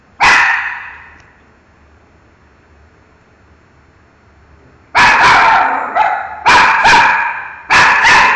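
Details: Pet dog Miki barks at a mango: one sharp bark, a long quiet pause of about four seconds, then a rapid run of three or four loud, rough barks close together.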